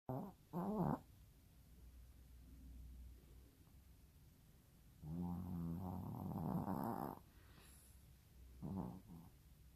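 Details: A pet dog snoring while asleep at home: harsh, buzzy snore breaths, first a short one, then a long two-second rattling snore, then another short one, separated by quiet low breathing.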